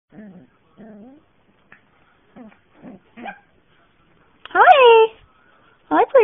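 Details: A cute puppy lets out two loud, high whining yelps that slide downward, each under a second long, following several soft murmured syllables of a person talking.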